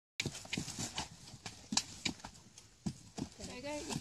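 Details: Horse described as reluctant and undecided, its hooves clip-clopping in irregular steps with sharp knocks, a short neigh-like cry near the end, and a person speaking briefly.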